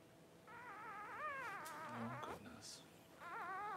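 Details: Newborn Cavalier King Charles Spaniel puppies while their mother Paris whelps her first two pups: high, wavering whimpers with bending pitch, a long cry of nearly two seconds, a short break with a low voice, then another quavering whine.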